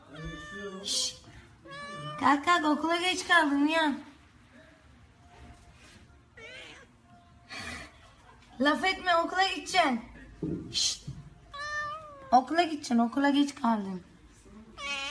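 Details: Domestic cat indoors giving a series of loud, drawn-out meows with bending, wavering pitch, several clustered in bursts with short pauses between, alongside human voices.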